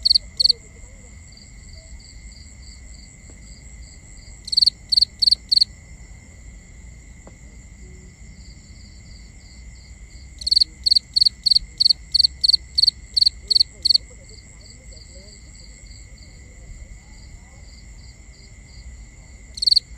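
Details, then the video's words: Crickets calling at night, binaural: a nearby cricket gives bursts of loud high chirps, a short run near five seconds and a longer run of about ten near eleven seconds, while fainter pulsed trills and a steady drone continue between. "Cricket Conversations | Binaural Nighttime Ambience"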